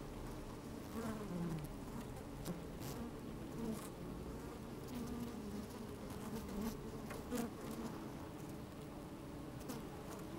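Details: Honey bees inside an open hive on a fine, sunny day, microphone slid down among them as they move about: a steady low droning hum with layered tones, wavering buzzes rising in pitch, and scattered faint clicks and taps from bees crawling.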